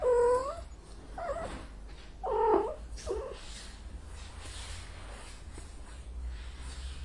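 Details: Angry cat giving a clear harmonic meow, then a series of rough, broken, growling yowls over about three seconds, followed by quieter background hiss.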